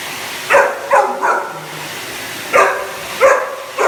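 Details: A Cane Corso reacts to a hoover, giving three quick barks in a row, a pause of about a second, then three more spaced barks over a faint steady hum.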